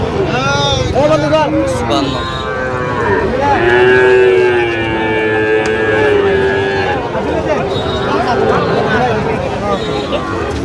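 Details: Sahiwal bull calf for sale at a crowded cattle market in Barishal, Bangladesh: a short moo, then a long, steady, droning low moo lasting several seconds, with people talking and bargaining around it.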